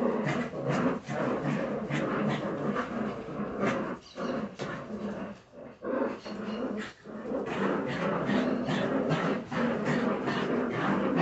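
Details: Jagdterrier puppies at a kennel, a litter making rough, overlapping growls and squabbling yaps in quick irregular bursts, with brief quiet dips around four, six and seven seconds.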